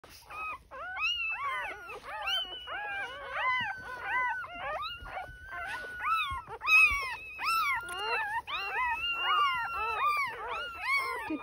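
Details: Litter of purebred Border Collie pups born June 2023 in the Mid North, South Australia, making a continuous chorus of high whines, squeals and yelps that rise and fall, many pups overlapping; a woman speaks at the end.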